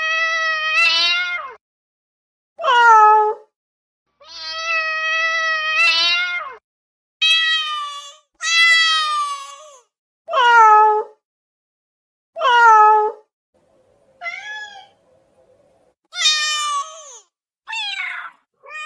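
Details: Insistent cat meows wanting attention right away: a series of loud harmonic calls roughly every two seconds, some long and flat, others bending downward at the end, a few thinner higher mews.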